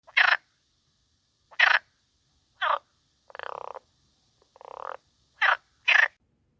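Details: Frogs at a garden wildlife pond at night among water lilies: seven calls over six seconds, five short harsh rasping bursts and two longer buzzy, drawn-out croaks in the middle, with quiet gaps between calls.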